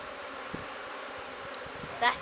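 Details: Honey bees of a new swarm just placed into an empty hive, humming in a continuous low buzz, with a man's voice cutting in briefly at the end.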